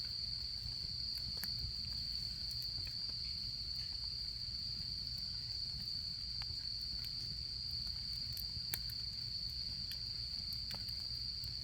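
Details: Autumn insects chirp in a continuous, even high-pitched drone beside a campfire in the autumn camping season, the fire adding frequent light crackles and ticks throughout.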